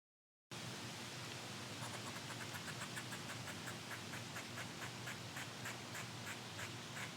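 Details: Squirrel upset at being recorded beside its tree, sounding off in windy weather: a rapid series of short, sharp chattering barks, about four per second, half buried under a steady roar of wind through the branches.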